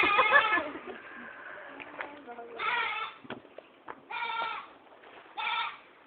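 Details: Goat fallen into a well, calling repeatedly: four harmonic, nasal bleats spaced roughly every one to two seconds, with faint speech and clattering between calls.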